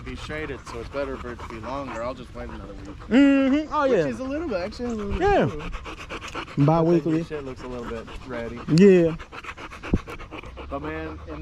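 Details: Male Staffordshire Bull Terriers with other male dogs on a long evening at the park: wavering, yodel-like howls and whines that sweep up and down, with loud rising wails around the middle, over panting and background noise.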